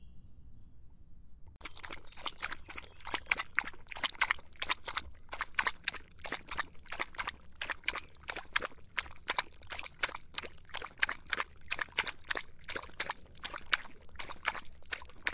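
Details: In the hot summer a dog laps water after a quiet start: a long run of crisp, splashy tongue strokes follows, evenly paced at roughly three per second and recorded up close.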